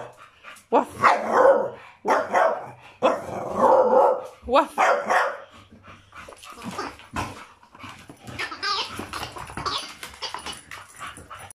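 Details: A 2-year-old female Staffordshire Bull Terrier that has only just found her bark gives a run of loud, gruff, mid-pitched barks, then quieter huffs.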